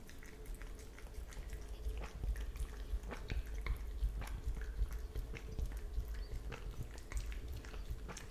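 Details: Italian Greyhound drinking milk indoors, recorded on an iPhone XS with a Blue Yeti microphone; soft wet lapping clicks repeat roughly three times a second over a low steady hum.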